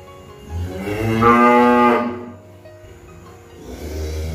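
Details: One cow moos once, a low onset climbing into a bright, drawn-out harmonic call of about a second and a half, followed by quiet and the start of another low sound.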